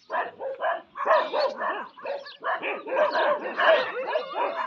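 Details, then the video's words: Indian desi dogs quarrelling with each other, several voices overlapping in a steady run of harsh, yelping barks and snarls, with a short pause near the middle before the scuffle resumes louder. "Desi Dog 🐕🐕🐕 ki apis man lari"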